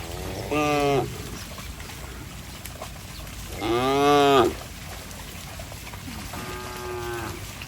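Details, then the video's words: Cattle running playfully in mud; three separate moos about three seconds apart, the middle one loudest and slightly falling in pitch, the last one softer, with faint background noise. "Suara sapi Moo"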